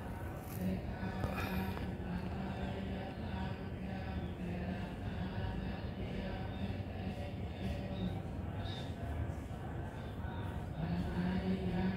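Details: Steady low rumble like a passing train or vehicle, with faint muffled voices and no animal calls.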